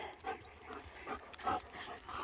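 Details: German Shepherd dogs named Nico and Zeeva, one vocalising in soft whining and panting bursts about every half second, with a short human voice nearby.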